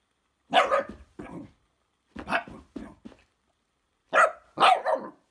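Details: Female Shiba Inu in West Sussex, England, showing dislike of a fidget spinner: three clusters of harsh, yelping bark-screams, each of two to three rapid bursts, with short silences between.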